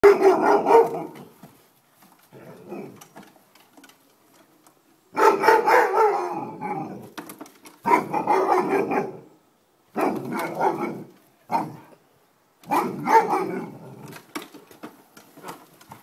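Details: An Alaskan Malamute, reacting to a lawn mower, gives loud, drawn-out woo-woo vocalizations in bursts, with short pauses between them.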